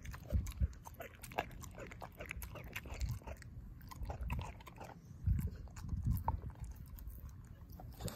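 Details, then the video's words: Ozzie, a pet dog, devours a pork steak, his jaw chomping and mashing the bone: low, thudding bites and crunches come in uneven bursts, with sharp clicks of teeth between heavier chews. "ASMR: Dog Eating Pork Steak"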